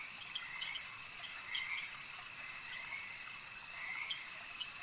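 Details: Frogs calling at a lake: a dense, steady chorus of high trilling calls, with a few louder croaks standing out around the middle and near the end over constant background hum.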